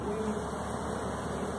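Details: A steady, droning hum of many honey bees from a swarm at apartments, being collected into a box by a beekeeper after a fire department call, with a man's voice over it.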